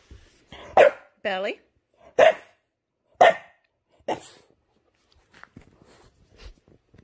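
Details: Five-month-old English bulldog puppy fussing just after a bath: short sharp yelping barks alternating with a wavering, moaning whine, about five outbursts in seven seconds, followed by quiet shuffling and handling noises.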